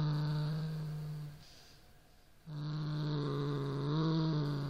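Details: A Siamese cat growls at a toy rat, a low steady rumble that breaks off briefly, then swells again.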